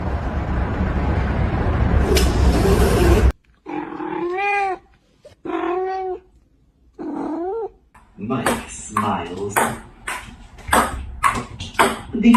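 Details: Cat giving three short meows that rise and fall, spaced about a second apart, after a loud noisy stretch with voices; clattering and knocking sounds follow.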